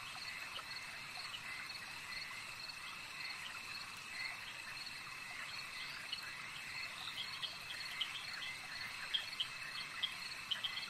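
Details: Frogs at a lake calling in a dense chorus of short, sharp, high chirping notes, repeated irregularly over a steady, shrill insect trill. Ambient night-time lake atmosphere, with no voices or music.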